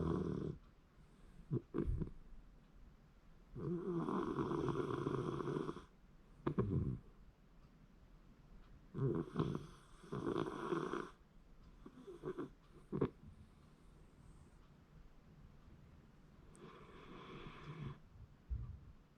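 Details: Sleeping Shiba Inu snoring, January 2024: loud rasping snores of one to two seconds arrive in irregular bursts, separated by quieter breathing and a few sharp clicks.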